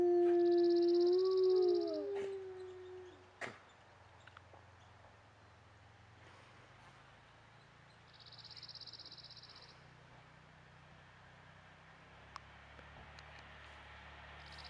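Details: A talkative wolf howls at the start, a steady mid-pitched tone that breaks and wavers lower for about three seconds. A sharp knock follows, then a long stretch of quiet background with faint hum and occasional clicks.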